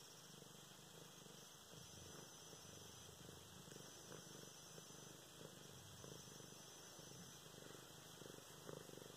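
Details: Purring from Luna the cat during petting and play at home, November 24, 2016; an even, low vibrating drone pulsing with her breathing under light fabric rustle.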